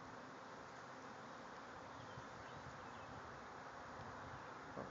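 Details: Swarming bees from a backyard hive gathering around a tree near a ladder, a constant, dense humming drone with slight swells, and a brief click near the end.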